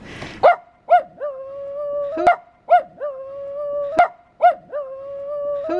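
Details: Henry, a Coton de Tulear dog, howls hello: three rounds of short yelping onsets each sliding into a long steady mid-pitched howl, a trio repeating roughly every 1.7 seconds, with a sharp click between rounds.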